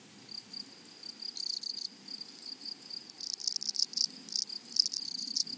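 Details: Grasshoppers singing in a flowery meadow: a faint hiss of distant chirring, broken by two stretches of louder, quick, scratchy pulse bursts from a nearer insect.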